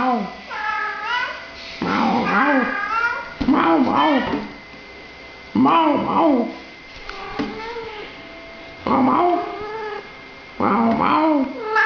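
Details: Talkative British Shorthair cat meowing at people, giving about six wavering, bending meows in a steady back-and-forth rhythm, some short and some longer and strained, separated by brief silences.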